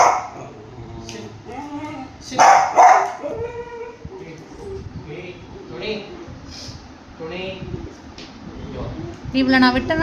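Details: Three Dachshunds fighting possessively over their owner's lap snarl and yap at each other in short, harsh bursts while a person talks.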